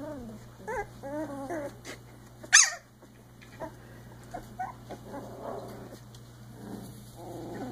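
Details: Icelandic Sheepdog puppies aged three weeks, playing: a few high wavering yips first, then a sharp knock, followed by soft raspy little growls through the second half.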